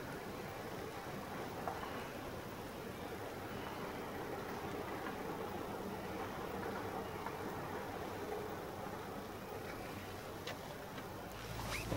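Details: Steady broadband hiss like distant traffic, with soft rustling throughout and a few sharp clicks and a brief rise in noise near the end; no animal voice is heard.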